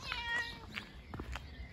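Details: Bengal cat meowing while taken out for a walk in a backpack; two drawn-out tonal meows early on, then shorter chirpy calls, with rustling and handling noise.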